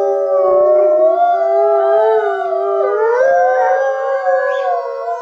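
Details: Three Alaskan Malamutes, Sojou, Fish and Dotty, joining the next generation in a group howl; several wavering voices weave together, one sliding up partway through, forming a continuous rich chorus.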